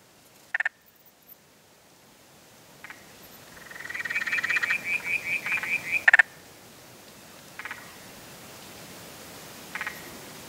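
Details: Spotted grass frog calling: short bursts of rapid clicking pulses, then a longer machine-gun-like train of pulses that swells and fades over about two seconds, followed by more brief clicks, over a soft hiss.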